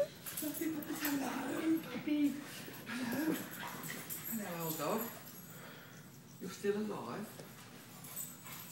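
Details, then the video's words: Excited puppies being brought in at 1:00 in the morning give short, wavering whines and whimpers that rise and fall in bursts, mixed with a person talking to them indoors. "Midnight Puppies"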